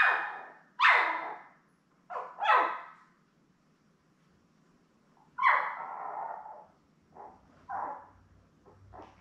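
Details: Labrador Retriever litter of seven newborns with mother Belle, born May 24, 2021, filmed on a live puppy cam: sharp, rising-then-falling squealing whines and yelps in irregular bursts, with quiet gaps and faint low hum near the end.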